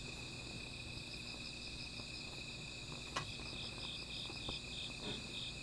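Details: Night insect chorus by a small fire: a continuous shrill ringing drone, joined near the end by a second caller giving quick, evenly spaced pulsed chirps, while sharp snaps from the fire break through.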